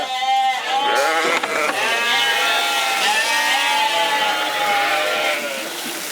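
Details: Corriedale sheep at a farm in Canada, a long steady sustained bleat lasting about five seconds after a brief opening call, with several voices overlapping in a flock chorus.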